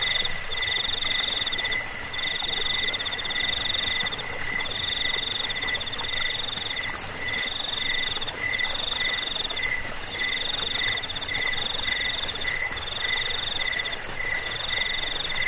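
Crickets chirp in a dense, unbroken high-pitched trill with a steady pulsing rhythm.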